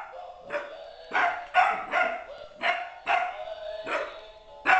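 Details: Apollo, a 13-week-old puppy, barks at his first meeting with another dog: sharp, high yapping barks in uneven bursts, about seven in five seconds, with a steady tonal hum running underneath.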